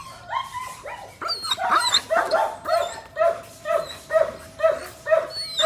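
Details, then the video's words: German Shepherd dog, 18 months old, semi-long coat, giving a rapid series of barks about twice a second, with tonal, slightly whining edges and bright overtones. "Chó becgie đức lông đờ mi 18 tháng"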